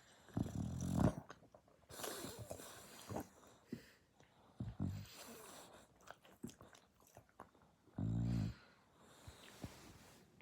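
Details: Dasha, a dog, snoring loudly indoors: snuffling, irregular breaths and short snorts, then one deep, buzzing snore of about half a second near the end.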